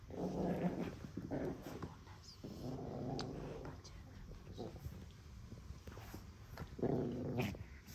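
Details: Pekingese puppy guarding a monkey doll in a small room, growling in rumbling bursts of one to two seconds with quieter stretches between, some scuffling and a faint high hum present.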